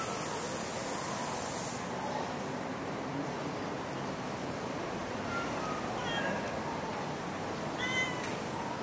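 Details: Stray cat in Singapore giving two short, thin meows near the end, the second higher and sharper, over a steady broadband hiss of outdoor urban noise.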